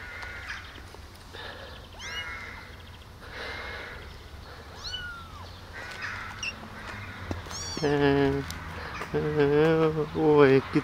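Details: Tiny abandoned baby kittens, rescued from the street eight days earlier and now kept in a warm basement, walking and drinking milk from a syringe; several faint, arching meows, then two loud, rich, drawn-out meows close together near the end.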